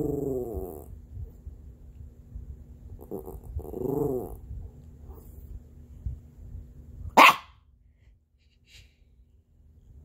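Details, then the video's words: Havanese dog indoors trying not to bark: a few short muffled woofs and a low growly huff, then one sharp loud bark near the end followed by quiet; steady low background hum throughout. "BODHI THE HAVANESE ~ TRYING NOT TO BARK"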